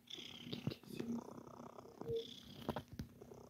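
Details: Cat called Sir Titan making biscuits; short low purring rumble broken by soft clicks and rustling, plus a faint high squeaky tone.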